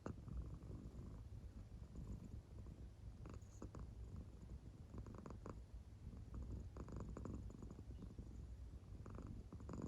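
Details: Indoor American Shorthair cat fast asleep on its back, belly moving with the purr; steady deep rumble with faint, irregular breathy pulses.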